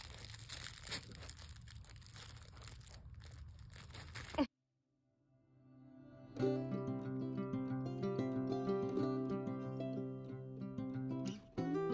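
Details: Crinkling household noise, a brief silence, then gentle background music with sustained tones; no animal voice heard.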